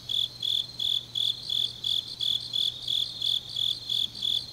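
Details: Autumn grass insects on a deep night in Changnyeong, Gyeongnam, South Korea: a high, shimmering chirp pulsed about three times a second in a steady, even rhythm, with fainter insects trilling behind and a low hum underneath.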